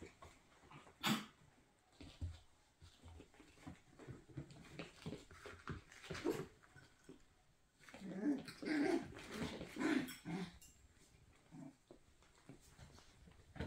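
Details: Miniature Schnauzer puppies nearly 5 weeks old, playing and darting around in a small indoor room, make brief, irregular yips, whines and low growling grunts, busier toward the end, with soft knocks and scuffles between.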